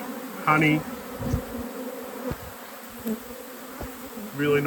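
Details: Honey bees droning at an apiary hive during inspection, a level low hum with light tapping sounds, interrupted by short spoken words at the start and the end.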